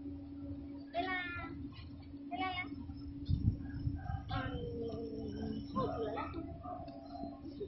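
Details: Domestic cat meeting a dog, giving several short, strained meows with wavering pitch, mixed with people talking, a steady electrical hum and thumps of handling.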